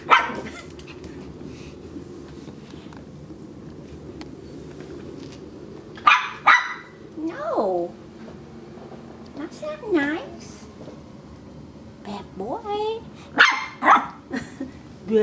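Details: A Maltese puppy chewing on a rug gives high, thin yaps and whiny yips at irregular intervals while a person scolds it.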